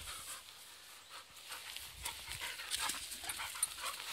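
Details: American Staffordshire Terrier panting outdoors while running and playing during a dog hotel stay. Quick, soft, breathy pants come in uneven bursts, with faint rustling in the background.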